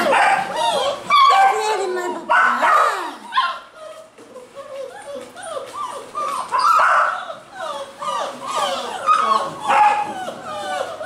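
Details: Several Basset Hound puppies in a Brazilian kennel in Londrina, Paraná, whining and yipping continuously in thin, bending tones, calls crowding together in bursts, while people speak over the litter.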